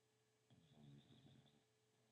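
An English Bulldog gives a single low, rough snore lasting about a second.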